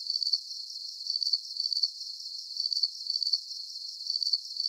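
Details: Calming cricket sounds for slumber: shrill, pulsed chirps in clustered bursts, some louder and some softer, continuing evenly across the stretch with no low sounds or other animals.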